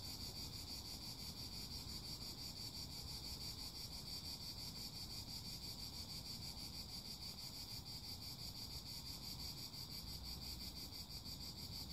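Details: Cicadas singing: a steady, high, shimmering buzz with fast even pulsing runs unbroken throughout, over a constant low rumble like wind or distant traffic.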